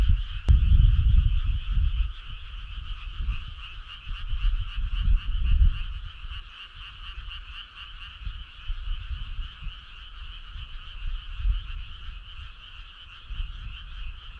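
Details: Frogs chorusing together on a midsummer night along a rural road, a continuous rapid pulsing trill that holds steady, while deep rumbling bursts come and go, strongest at the start and around five seconds.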